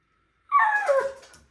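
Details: A Siberian Husky gives a brief, drawn-out howl that slides downward in summer heat, protesting as its owner looks ready to leave without him.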